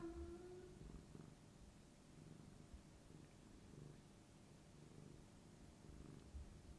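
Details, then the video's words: Affectionate tabby Rico presses against his human's knee, producing a continuous low rumbling purr with gentle rhythmic pulses and a faint brief tone at the start. "purring and rubbing human fat knee"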